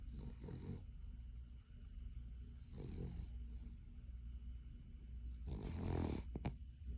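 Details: Sleeping Cavalier King Charles Spaniel that dislikes being woken up, snoring low and rumbly with soft breathy snorts, ending in a louder, broader snort near the end.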